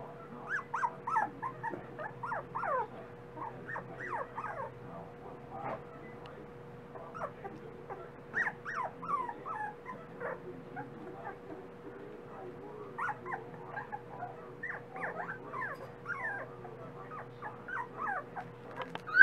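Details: Dachshund puppies, growing and eating more each day, whimper in many short, squeaky rising and falling cries overlapping throughout, with a faint steady hum beneath.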